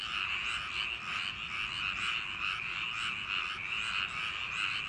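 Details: Night chorus of frogs in summer rice paddies: a steady, dense churr of countless overlapping calls, gently swelling and fading with no pauses.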